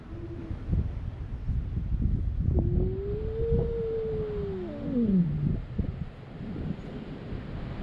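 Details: Fighting cats at a Japanese fishing port, filmed with a GoPro: one long moaning yowl arching up and then sliding down, over heavy low wind rumble and outdoor noise.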